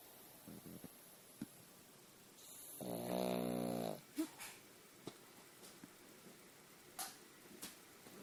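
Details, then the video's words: Snoring pug named Pagal lets out one long, buzzing snore lasting about a second and a half, surrounded by quiet sniffs and small clicks. "Snoring pug!"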